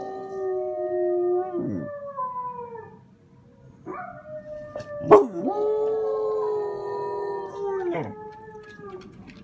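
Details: A German Shepherd, just woken, joins in with a video of howling wolves, giving long, steady howls that drop away at the end of each breath.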